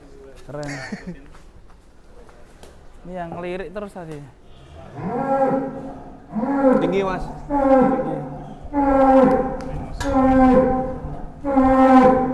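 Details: Giant cattle raging while being fed and weighed: after a man's brief speech, a series of about five loud, low, harmonic bellowing moos follows, each roughly a second long and repeating about every one and a half seconds.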